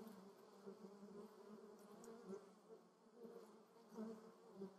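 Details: Buzzing of honey bees and other insects at lavender flowers, Moselle valley, Germany: a continuous low drone layered by several overlapping insects, rising in loudness around two and four seconds, with faint higher rustling.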